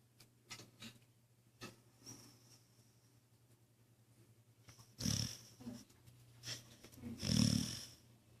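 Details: Female Australian Cattle Dog, a Blue Heeler, snoring while asleep on a chair indoors; quiet breathy rasps early on, then two louder rough snores about two seconds apart, over a steady low electrical hum.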